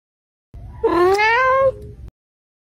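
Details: Domestic cat sticking its tongue out and blinking gives a single drawn-out meow lasting about a second, its pitch rising at first and then holding level before it fades, against a quiet background.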